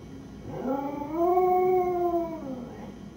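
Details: Home alone, Lucy the beagle mix gives a single howl that swells upward, holds a steady tone, and slowly sinks at the end.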